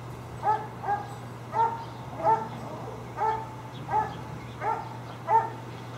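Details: Tied dogs barking: sharp single barks repeated roughly every 0.7 seconds, steady and evenly spaced, over a constant low hum and background noise.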